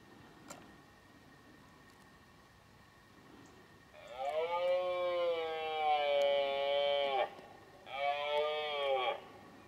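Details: During the 2018 red deer rut a stag gives two loud, throaty bellows after several seconds of near silence. The first is long and sustained, the second shorter, both dense with harmonics. Faint clicks come before them.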